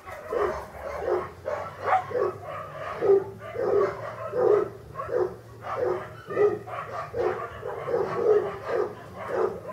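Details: English Cocker Spaniel puppies from an August 2011 litter at a breeder, many small voices crying at once: rapid pulses of thin, nasal whimpers and yelps that rise and fall in loudness.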